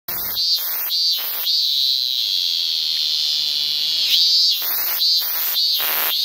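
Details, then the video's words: Green cicada singing early on the morning of 15 August 2014 before flying off, a loud continuous high buzzing drone broken by short stuttering pulses at the start and end. "Красивая цикада зелёного цвета. Пение и улёт."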